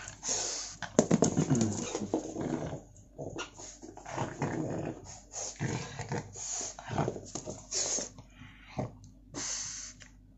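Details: Pug dog fussing for his dropped toy, giving rapid broken whimpers and rough, growly snorts in irregular bursts, some loud and sharp, others softer, for about ten seconds.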